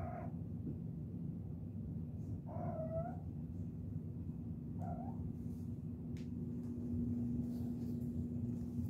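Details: Chirping kittens: three short harmonic chirps in the first five seconds, then only a steady low hum with a faint droning tone.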